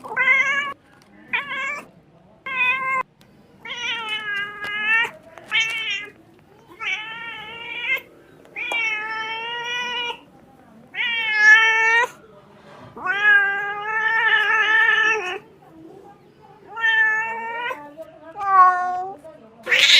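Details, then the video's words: Kitten crying in a long series of loud, drawn-out meows with rich harmonics, some wavering or breaking, separated by short pauses, about a dozen calls over twenty seconds in a quiet setting. "Very beautiful crying sound of a kitten"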